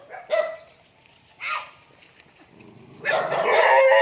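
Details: Dog welcoming its owner home: a couple of short excited yelps, then a louder, longer rough whining bark toward the end.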